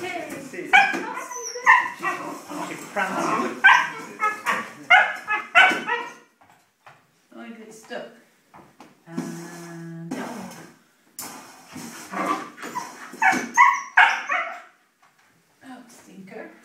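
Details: Female Siberian Husky puppy indoors, chasing and playing with her food and water bowl, gives bursts of high, yappy barks and whimpering yips in uneven runs, with a person's voice talking over and between them.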